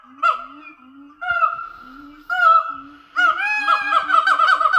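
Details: Captive Siamang gibbons at Dublin Zoo calling together as a territorial daily ritual: low sliding woo notes, each followed by a louder rising whoop, about one per second, ending in a fast, dense run of hoots.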